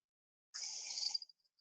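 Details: A Kottigehar dancing frog gives a short, high, buzzy call ending in a few faint clicks; in this species such calling and foot-flagging relate to territorial behaviour rather than display to females.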